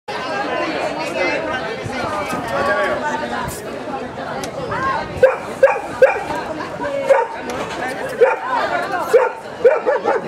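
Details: German shepherd in Gibraltar, 2013: people chatter at first, then short sharp barks come in bursts over the second half.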